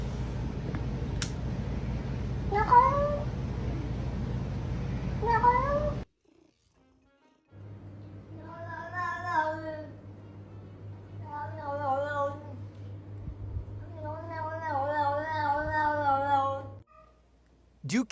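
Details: Grumpy domestic cat scolding its owner: two short rising meows over background hiss, then after a brief silence three long, wavering, drawn-out grumbling meows in a low steady hum.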